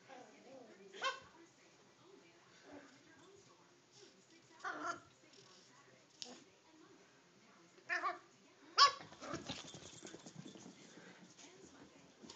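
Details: Toy Fox Terrier playing in a chair, recorded on a phone indoors; a handful of short sharp yips and whiny bursts spaced a few seconds apart, with light scuffling and rustling between them.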